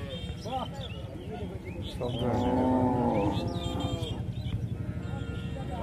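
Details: A single sustained cow moo stands out in the middle of the recording. It is surrounded by human voices, short chatter-like sounds and general background noise before and after.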